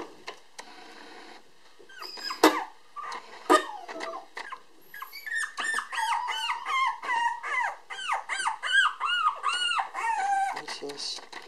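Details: A black-and-tan Toy Poodle girl, a 500 g puppy born 7 February 2016, filmed indoors on 18 March while uneasy away from her mother. Scattered squeaks give way to a steady series of high, wavering whines, each rising and falling.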